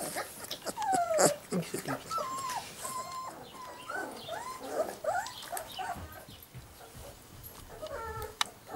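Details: Giant schnauzer puppies from a breeder's O litter whine and squeak in many overlapping, high, rising-and-falling tones, busy throughout, with some human voices mixed in.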